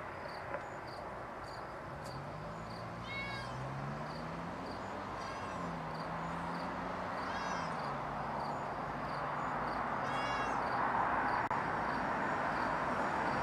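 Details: Four short, high-pitched meows, roughly two seconds apart, come from a cat getting out over a balcony. A low, wavering engine-like drone and steady background hiss run underneath.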